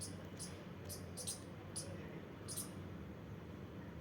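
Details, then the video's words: Squirrel at play making a few brief, thin, high squeaks in quick bursts during the first seconds, then quiet, with low background hum. "squirrel🐿 playing making sounds"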